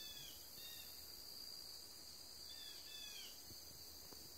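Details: Crickets calling on a September 13th afternoon at 2:40 P.M. outside a grandfather's house, a steady high continuous band of trilling with faint chirpy bird-like notes around it and quiet background.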